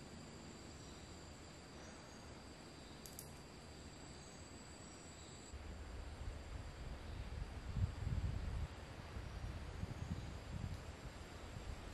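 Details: Only low rumbling handling or wind noise and a faint steady high whine are heard, with no clear animal call. The rumble grows louder in the second half.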